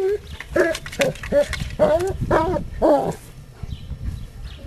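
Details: German Shepherd named Astor in a home garden while someone does garden works, digging on a screen: a quick run of about seven yelping, whiny barks, roughly two per second, with speech mixed in, then quiet.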